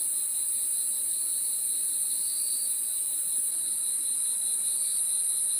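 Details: Crickets calling after dark: a thin, steady high-pitched ringing tone, with a weaker lower chirping band that rises in brief swells, all at an even volume and with no other sounds.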